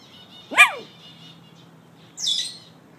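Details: Rescue pup vocalising over a newly found banana: one sharp, yelping howl that sweeps up and then down, followed after a pause by a brief hissing, higher-pitched noise.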